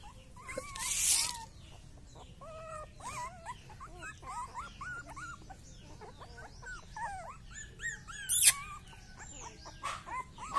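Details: Rottweiler puppy whining again and again in quick, high, squeaky yelps that bend up and down, a busy chorus of chirpy whimpers filling the whole stretch, with occasional sharp knocks and rustles.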